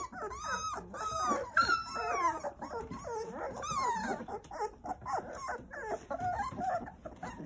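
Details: Litter of nine Jindo pups playing happily while mother Sarang cares for them: continuous overlapping whines, long arching squeals that rise and fall, and shorter yips packed closely together, with light rustling underneath.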